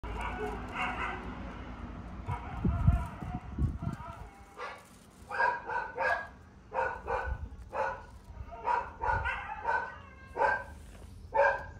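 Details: Toy Poodle puppy barking indoors: sharp, bright barks repeated roughly every half second to one second, some in quick pairs, after an opening stretch of people talking and low handling thumps.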